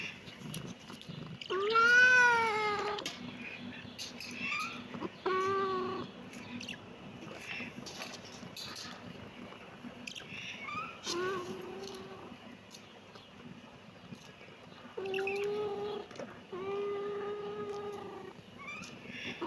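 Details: Kitten meowing: a loud, arched, harmonic-rich meow near two seconds, then shorter meows around five and eleven seconds and a pair of sustained, level meows late on, over a steady low background hum.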